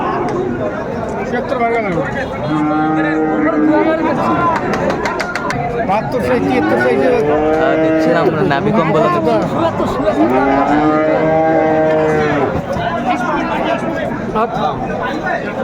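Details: Friesian and crossbred bull calves at Ambari Haat cattle market, Dinajpur, Bangladesh, 22 April 2024: several drawn-out, harmonic moos rising and falling over each other around three, eight and eleven seconds, with steady crowd chatter behind.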